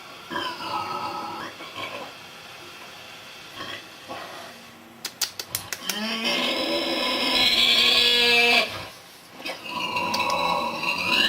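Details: Snoring pig at a Buddhist nunnery near Hue, Vietnam: a few softer wheezy breaths, a quick run of sharp clicks, then one long, loud rasping snore lasting over two seconds before a further breath.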